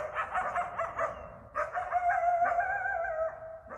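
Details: Eastern coyotes, also called coywolves, calling at night in a Bellingham, Massachusetts backyard. Fast wavering yips open the clip, then a brief pause gives way to long, level howls with rich harmonics and a few short barks.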